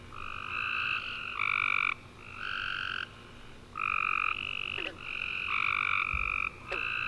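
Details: After a warm rainy summer day, tree frogs chirp through the night in a steady chorus: trilled phrases about a second long, traded back and forth between callers with short gaps, one low thump near the end.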